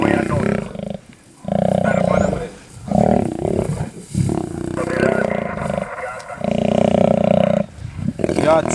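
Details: Lions in a scene of one lion eating another: loud, harsh, tonal snarls and growls come in bursts about a second long, separated by brief pauses.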